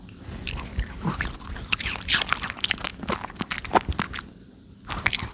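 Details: Pomeranian dog eating a pear, crunching through the fruit with crisp, irregular bites and wet chewing sounds in quick succession, pausing briefly near the end before a final burst of crunching.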